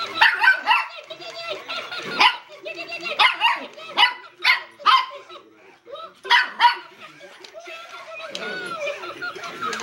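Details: A Miniature Schnauzer puppy gives sharp, high yaps at a Tickle Me Elmo toy as its chattering, laughing voice plays.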